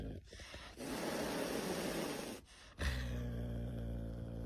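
A caracal lets out a harsh, breathy hiss lasting over a second, then shifts into a deep, steady growl. The threat display serves to keep a rival away from its mate.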